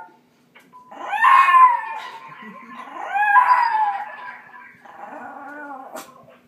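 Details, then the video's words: Puppy howling in a small room on hearing the owner's mother's voice on an answering machine: two loud wavering howls that slide downward, followed by a softer, trailing whine-like howl. "Puppy howls at answering machine"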